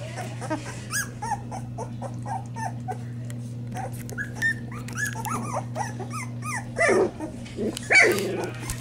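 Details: Hungry Springer Spaniel puppies from a first litter squeal and whimper, thin arched cries repeating irregularly, several pups calling at once, with louder cries near the end over a constant low hum.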